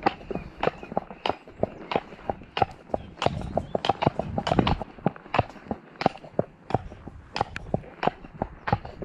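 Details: Shire horse De Goot Damon of Ostsee Shires, on 2 May, on the outward trip to pick up a new boarder from Falkendorf, after early rain. Sharp clip-clop hoof strikes arrive about every half second, with murmured voices in the middle.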